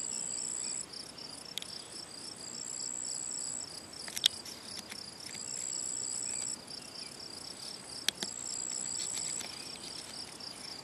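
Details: Gryllus campestris, the field cricket, recorded by ponds in the Draga valley, 18 June 2023: dense high chirping pulses in quick succession, a faint high whistle recurring, and two sharp clicks.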